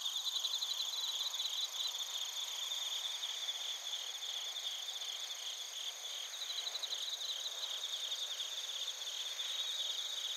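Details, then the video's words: Chorus of suzumushi bell crickets and field crickets recorded at Narita, Chiba Prefecture, Japan, with a TASCAM Portacapture X8; steady high-pitched ringing trills overlaid with faint pulsed chirps, continuous throughout. "スズムシとコオロギの鳴き声 - Chirping of crickets"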